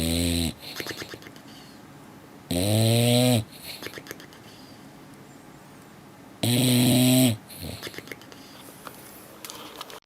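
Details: English Bulldog asleep, giving three heavy, buzzing snores about a second long and spaced two to four seconds apart, each with a harsh nasal rattle, separated by faint wheezy breathing.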